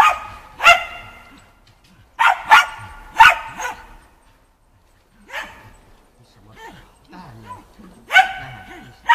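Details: Shaun, a Shetland Sheepdog, barks while training agility and running contacts on the dog walk, 11 November 2013; clipped barks come singly and in a quick triple, separated by quieter stretches with faint higher yelps.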